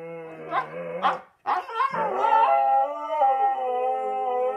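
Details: Two Siberian Huskies in a low duet, one in a surgical cone; short yips and whimpering breaks open the clip, then a sustained, smooth, harmonic howl settles and holds steady to the end.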